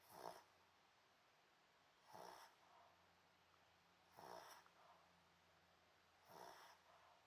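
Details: Pomeranian named An snoring while asleep on a hot dog cushion indoors; four soft, breathy snores about two seconds apart, each a short noisy burst with a faint nasal tone, quiet hiss between them.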